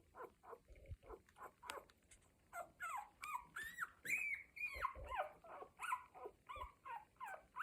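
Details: Week-old Cocker Spaniel puppies in a litter making noises: a run of short squeaky whimpers and squeals, some rising and bending in pitch, coming in quick irregular bursts with faint low thumps between.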